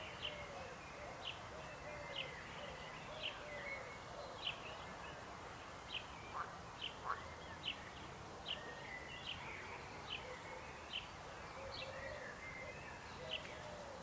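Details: Frogs calling in a dense chorus: short high chirps repeat steadily about every half second over a constant background murmur of more distant callers, with a few lower, drawn-out croaks mixed in.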